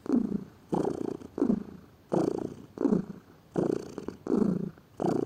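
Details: Close purring from a lazy pet cat, low rough vibration in regular swells of breath, roughly eight pulses in five seconds, quiet room otherwise.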